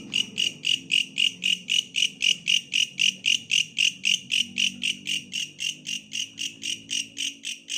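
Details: Repeated shrill buzzy pulses from a bush cricket, close to four per second and very regular, loud and high, with a weak low-pitched background murmur.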